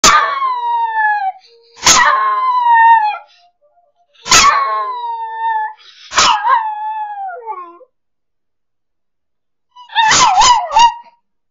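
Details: Female miniature schnauzer at Christmas, singing along to afternoon music, gives a run of high, drawn-out howls that slide downward, ending in a quick wavering burst.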